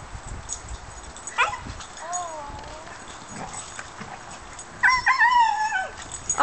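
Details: Odyssey, a Weimaraner puppy, and Kiara, a Native American Indian Dog puppy, play together, giving a wavering whine, brief yips and a louder, long rising-and-falling whine near the end, over steady background hiss.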